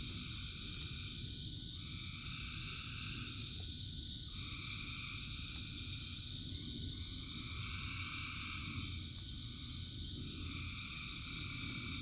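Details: Frog chorus in rain, thousands of frogs singing: dense, steady high-pitched trilling bands that swell and drop away in overlapping blocks lasting a few seconds each, over constant rain hiss and low rumble.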